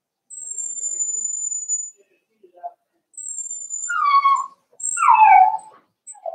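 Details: Four-week-old Cavalier King Charles Spaniel puppies in a home puppy pen, meeting other dogs. Short harmonic whines that dip in pitch come late in the clip, after thin, steady high tones.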